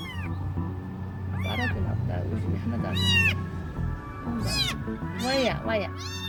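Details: Night-visiting stray cat, possibly a male, crying outside: several rising-falling meows, some short and some stretched, in irregular bursts, with background music and a person's voice faintly underneath.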